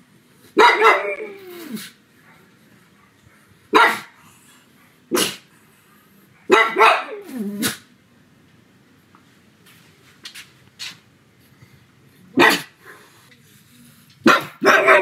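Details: A pug barks loudly in harsh bursts, some drawn out and sliding down at the end, while howling at home on a sunny afternoon.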